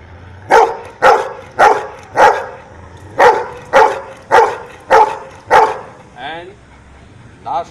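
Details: After "nine" is called, a dog barks nine times in a steady run, one clipped mid-pitched bark about every half second, followed by a person speaking.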